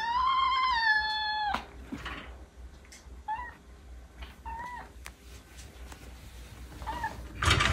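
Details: Norwegian Forest Cat kitten, which joined the household at two months old in March 2022, indoors: one long drawn meow that rises then falls, followed by several short, softer meows spaced a second or two apart.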